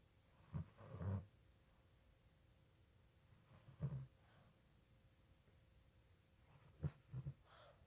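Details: Snores from a Boston Terrier puppy that sleeps with its eyes open: short, low, gravelly snorts, some doubled, coming every few seconds against a faint steady hum.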